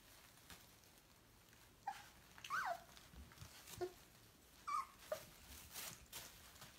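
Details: Dobermann puppies, 14 days old, playing with a green toy snake indoors; several short high squeaks and whimpers, some falling in pitch, scattered among soft rustling and handling noises.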